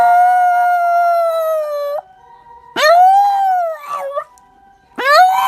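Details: Dog waking from sleep to howl before sneezing and sleeping again; long, steady, tonal howls that start with a quick upward swoop and hold level, separated by short gaps.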